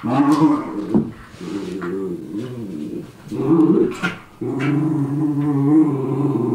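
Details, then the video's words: Miniature schnauzer brothers fighting as they do every day: deep rumbling growls in long sustained bursts with a couple of short pauses, plus sharp snapping sounds, in a small room. "Schnauzers Fight"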